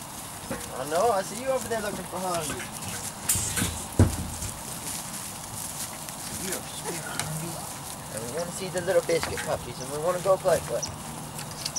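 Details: Weimaraner and Weimaraner x Vizsla puppies from Biscuit's litter, aged 3-4 weeks, giving rising-and-falling whimpers in short runs near the start and again toward the end, with a sharp knock and low rumbling between.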